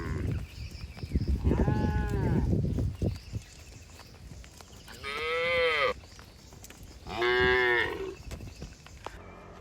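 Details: {'caption': 'Herded cattle moving through forest toward the shed, jumping happily; three moos spaced a few seconds apart, the first half-buried in rustling and trampling, the last two loud, rich and slightly falling in pitch.'}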